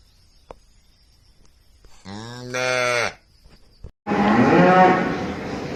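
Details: Cow gives one steady, low, tonal moo of about a second after a quiet start, followed by a sudden loud, rough, breathy blast that fills the last two seconds.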